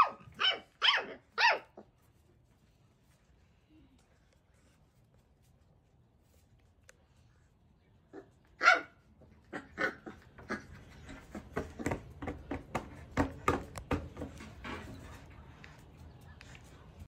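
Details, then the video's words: One-month-old Labrador Retriever puppy, angry, firing three quick sharp barks, falling silent for several seconds, then one more loud bark followed by a stretch of scuffling, scratching noise. "Cachorro labrador ladrando"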